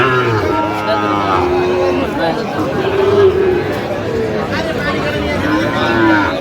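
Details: Sahiwal breed bull calves at a busy cattle market, 15 November 2025, with Dhaka farmers buying. Low drawn-out moos open and close the stretch, set against steady hubbub of people talking and haggling.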